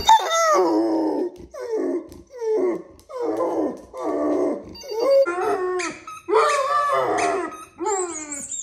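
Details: Labrador Retriever named Max howling in response to sound effects, a series of drawn-out wavering howls in bursts about a second long, each sliding down in pitch, with short pauses between and a thin high electronic tone near the end.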